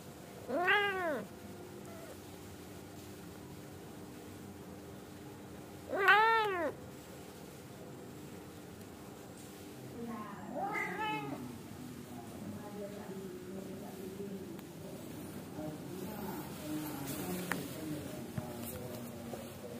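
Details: Indoor Angora mother cat nagging her kittens to sleep and stop being naughty, giving three separate rising-falling meows spaced roughly five seconds apart, the third longer and more drawn out, with quiet room noise between calls.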